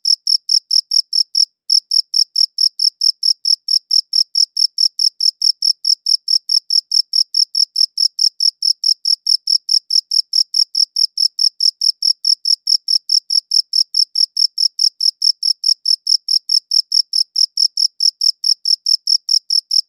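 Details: Chirping of a cricket captured with a quality recorder, a long run of rapid, clean pulses at a steady pace, broken only by one brief pause near the start; quiet background otherwise.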